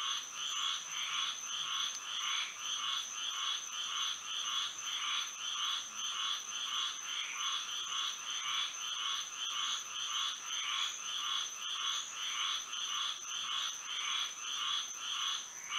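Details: Frogs singing through a moonlit Florida night, an unbroken chorus of rhythmic mid-to-high croaks beating about twice per second, accompanied by a persistent high thin whine.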